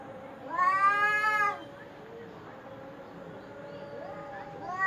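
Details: Domestic cat giving one loud, drawn-out meow of about a second, harmonic and slightly rising then falling, followed by quieter trailing mews and a faint voice in the background.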